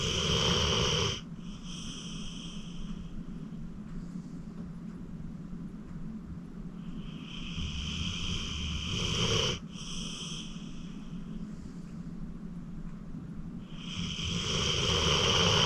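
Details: Acorn, a 14-year-old rescued pit bull adopted from the Cuyahoga County Animal Shelter, snoring in deep sleep at home. Long rasping, breathy inhalations swell and break off sharply, with quieter hissing breaths between them.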